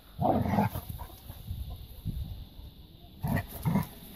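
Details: Labrador retriever puppies playing in a garden: short, gruff barks and yips open the clip, then softer grunts and low scuffling, with another pair of rough barks near the end.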